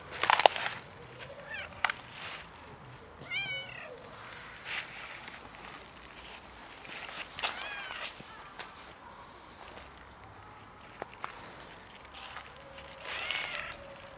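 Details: Stray cat outdoors in the winter cold, in need of warmth: several short, arched meows scattered through the recording amid rustling, footsteps and handling noises.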